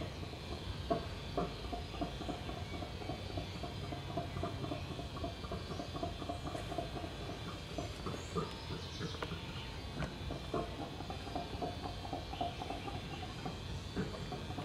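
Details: Howler monkeys (bugios) calling near a backyard: a deep, rumbling chorus of low, pulsing grunts and roars that rises and falls steadily, with faint high bird chirps and soft background hiss.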